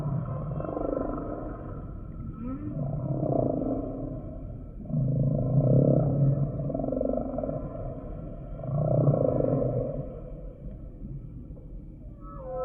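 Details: Humpback whale song of repeated deep, throaty moans, four or five long swelling units spaced a few seconds apart, with a brief higher squeal near the end.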